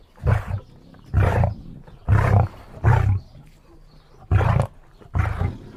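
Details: Deep guttural grunts from a lion, six booming pulses roughly one second apart, each short and rasping, over quiet background.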